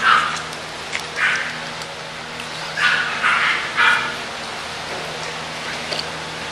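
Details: English Bulldog puppies offered for sale at Christmas: a run of short, high yaps in quick pairs and triplets, then quieter scattered yips over a steady low electrical hum.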